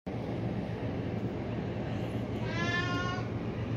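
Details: A cat gives a single short, tonal meow late in the recording, lasting under a second and holding a fairly steady pitch, heard over a constant loud low rumble like an engine or vehicle.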